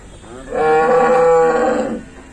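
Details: Cattle being unloaded; one loud, long, drawn-out moo lasting about a second and a half, rich and harmonic with a steady pitch, rising in and fading out cleanly.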